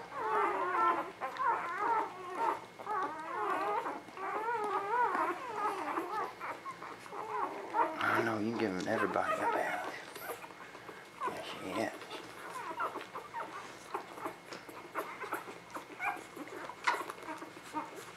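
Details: Spring 2017 newborn puppies whine in wavering, high squeals for the first several seconds; then a person talks and handling noises follow, with fainter squeaks continuing.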